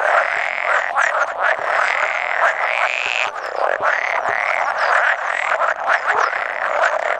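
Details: Around 100 male pool frogs croaking at a spawning site on 16 May 2017, an edible frog calling now and then; loud, bright, rattling trills overlap in an unbroken, pulsing chorus.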